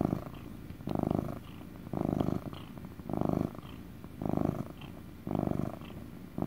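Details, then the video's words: Close, loud purring from a relaxed pet cat, described as motor purrs; six rumbling buzzy bursts, about one each second, with quieter breaths between them in a quiet room. "Relaxing purring (ASMR cat sounds)"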